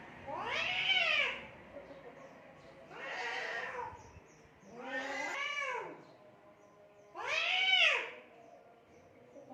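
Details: Two or more cats fighting in Assam, India: four strong yowling bursts spaced about two seconds apart, each a bending harmonic wail that climbs and falls, separated by quiet low noise.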